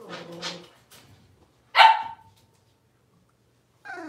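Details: Blenheim Cavalier King Charles Spaniel puppies, six weeks old, in an indoor puppy pen. Two short harmonic yips open the clip, then a sharp louder bark. After a silent gap, a tonal whine rises at the very end.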